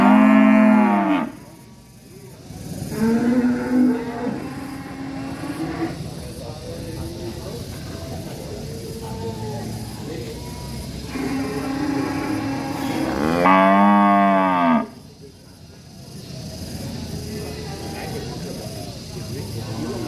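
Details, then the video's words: Angry cow in a village, mooing repeatedly: a loud moo at the start, a shorter mid-level moo soon after, then a long, rising-and-falling loud moo later, with murmured lowing in between. "SUARA SAPI NGAMUK"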